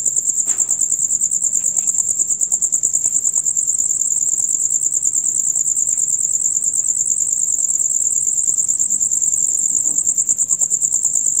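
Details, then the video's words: Rapid, loud chirping of male crickets through the night: a high, buzzy pulsed trill repeating about three times a second without pause, over a faint low background. "Crickets on Concert"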